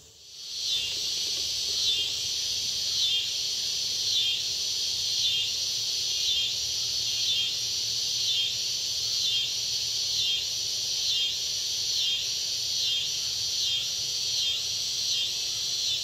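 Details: Red-headed bush cricket recorded in 2010 at the State Botanical Garden of Georgia in Athens, USA: a loud, high-pitched buzzing band pulsing steadily about once per second for the whole stretch, with no other clear sounds.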